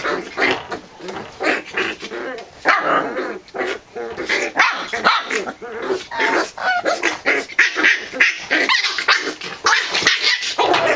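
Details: Sibling corgi puppies, Emma's litter, wrestling in play: a dense, continuous stream of loud raspy growls and snappy little barks overlapping one another without pause.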